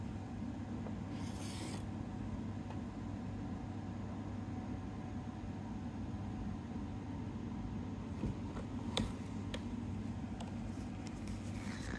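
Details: A quiet indoor room with a steady low electrical hum and occasional soft rustles and clicks, no animal voice.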